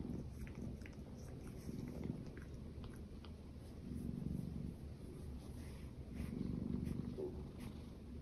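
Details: Domestic cat purring, from a household with two female shorthairs, a silver tabby American Shorthair and a lilac British Shorthair; a soft, low rumbling purr with faint rhythmic swells and light clicks or chewing noises over it.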